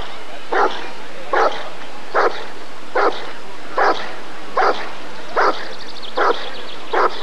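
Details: Rottweiler at a 1994 ADRK Körung breed survey giving a very regular series of nine heavy barks, one every 0.8 seconds, with quiet background voices.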